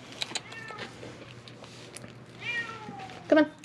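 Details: Feral cats at Mare Island Naval Shipyard in Vallejo, California, crying for food while being fed beef jerky; a short falling meow, then another brief call over soft speech and rustling.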